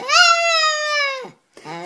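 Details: Pet dog 'talking' back to its owner, answering a question with a loud drawn-out harmonic whine, steady and level then dropping at the end, followed after a short pause by a second lower vocal sound.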